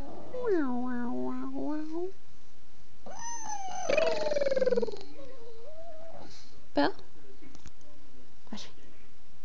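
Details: Pet dog talking with its owner indoors, giving drawn-out whining, moaning vocal sounds that bend up and down, while a person coaxes it with "come on, you can do it" in the background.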